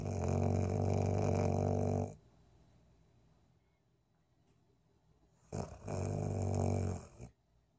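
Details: Golden Retriever snoring: a loud, deep, rattling rumble lasting about two seconds, a quiet gap, then a second similar rumbling bout of over a second, low and throaty in a small room.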